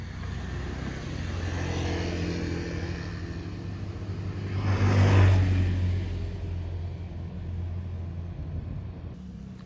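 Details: A continuous low vehicle rumble fills the recording, rising to a louder pass around the middle before easing off. No animal sounds can be picked out.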